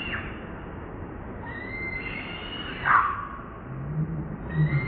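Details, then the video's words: Newborn baby monkey Moonpie crying for its mother and begging for milk: a few thin, drawn-out whistled cries, one sliding downward, over a steady low background hum. "Need Mom Newborn Crying Lovely Baby Monkey Moonpie"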